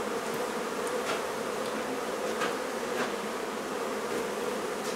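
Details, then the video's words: Honey bee hive being removed from a barn in La Feria, Texas: a steady, dense hum of many bees droning without pause throughout, with a few faint clicks on top. "Honey Bee Hive Removal from Barn"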